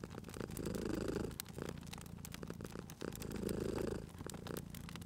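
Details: Low, throaty purring from a sleeping cat at a fireplace, with two louder inhale swells, softer stretches between them, and a steady patter of wood crackling and snapping.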